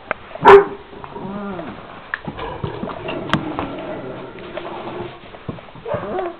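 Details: Šarplaninac puppies, 26 days old, from a litter of three males and five females: one sharp, loud bark near the start, followed by softer whimpering, whining calls with a few faint yips.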